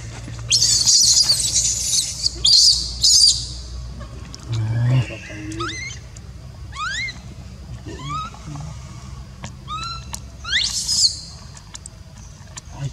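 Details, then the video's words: Baby monkey crying when its mother does not want to care for it: a string of short, high, squealing notes that sweep down and then up, irregularly spaced, with hissing bursts near the start and end. "Poor baby monkey cries when Mom Monkey does not want to take care"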